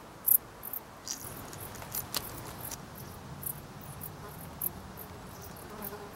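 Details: Dark bush cricket producing a loose series of quick, high, scratchy chirps, a loud one near the start and softer ones following, against a low rumbling background.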